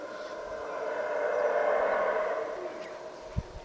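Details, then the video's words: Howler monkeys heard from atop Caracol, Belize: a loud, sustained droning roar swelling and fading over a few seconds, with a sharp knock near the end. "Howler Monkeys from atop Caracol"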